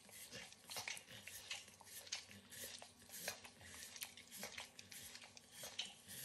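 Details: Max, a 9-year-old Pit Bull, licks and nibbles a treat of overcooked bacon indoors in a kitchen; wet smacking licks and crisp chewing clicks come in irregular bursts, with no talking.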